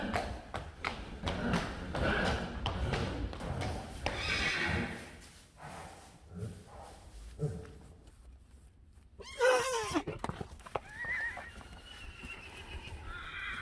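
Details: Friesian horse from a herd of 25 Friesians: hoof clip-clop and stable thumps at first, then a loud whinny near the end that falls in pitch with rich harmonics, followed by softer, higher calls.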